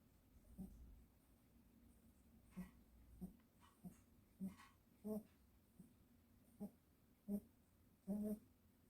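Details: A dog sleeping soundly after a walk, giving soft, short snoring snorts that recur about every second, in an otherwise quiet room.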